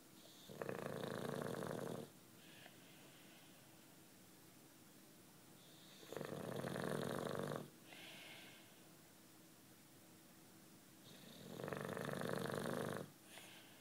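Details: Juanito, a British Bulldog aged nine, dozing during the day and snoring in steady cycles: three harsh, buzzing inhalations of about one and a half seconds each, roughly every five seconds, with softer breaths between.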